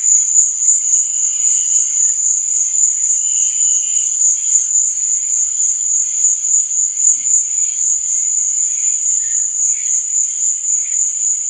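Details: A steady nocturnal cricket trill, high and shrill, rings without pause; softer lower chirps come and go, a couple of brief tones sounding early on.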